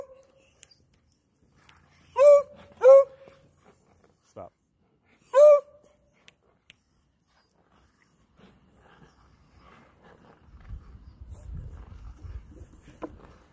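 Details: Ice Beagle, a Beagle kept chained while its owner skates on ice, lets out three loud, clipped baying howls, two in quick succession and one a few seconds later, before a woman tells it to stop; low rumbling noise follows.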